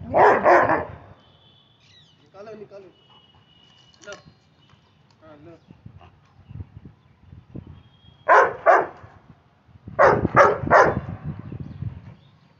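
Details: Playful Labrador Retriever in India barking in short volleys: a double bark opens, then a pair and a quick triple near the end, with soft voices and faint background tones between.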